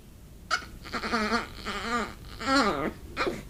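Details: Female Pomeranian begging for soup at close range: continuous high, quavering whines with rapidly wobbling pitch, several overlapping squeals and a sharp squeak, sounding almost dolphin-like, with a person's voice faintly in between.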